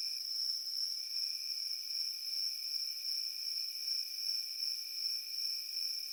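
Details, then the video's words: Crickets in a field sound a continuous, very high, even-pitched ringing buzz with a softer lower tone beneath. Volume wavers gently, and there is no other noise. "Crickets in the field making Peaceful Sounds"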